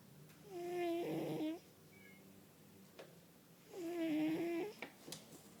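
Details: A fat pet cat, a male, asleep and snoring loudly indoors: two drawn-out nasal rasps with bright harmonics, each about a second long, with a soft click and quiet room noise between them.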